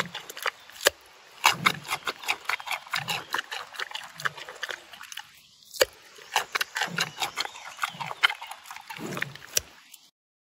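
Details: Giant panda munching on a carrot, with rapid irregular crunches and crisp clicking bites, louder snaps near the start and middle, and quieter chewing between them before a sudden stop at the end.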